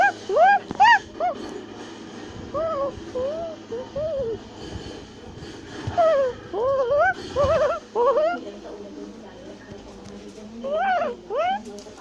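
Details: Tufted capuchin monkeys in South America, climbing a tree while shouting and chattering, give squeaky whistled calls that rise and fall in arching phrases, in bursts of several notes with brief gaps between them.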